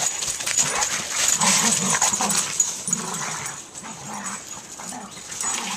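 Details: Two boxer-type dogs, a 2-year-old boxer and a 7-year-old boxer/lab mix, playing in the snow on Christmas morning; short irregular vocal bursts, several per second, under a steady bright hiss of scuffling and movement.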